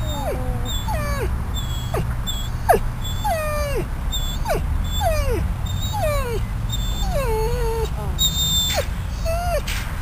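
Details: Riddick the dog whining at Bryanston Veterinary Hospital, out of ICU and taken outside onto the grass; repeated short downward-sliding whimpers roughly every half second to second, with low background hum and faint speech.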